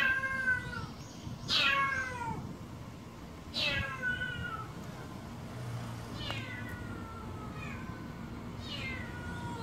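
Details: Healthy black stray cat Kkamangi meows in the hot summer, a series of about six downward-sliding cries spaced roughly two seconds apart, the first ones loudest, over a soft low hum.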